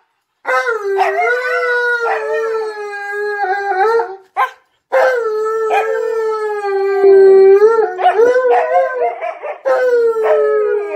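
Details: An Alaskan Malamute gives a long run of wavering, howl-like 'talking' with rising and falling yodels, playfully teasing a female husky companion by calling her a name.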